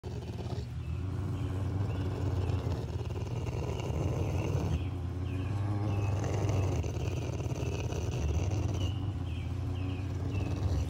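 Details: Rottweiler in a standoff over a bone, giving a continuous deep, rumbling growl that swells and eases without pause, while short high chirps repeat in the background throughout.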